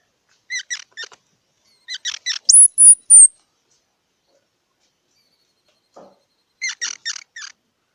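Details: Squirrel calling with two quick groups of chirps, then loud, high, piercing whistled notes, a silence, and another short cluster of harmonic chirps.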